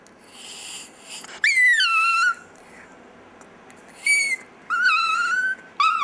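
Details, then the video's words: Pet chihuahua Dexter "singing": a breathy wheeze, then a loud howl falling from high to a steady lower tone, followed by two more rising, wavering howls and a brief final yelp. "Dexter's Opera"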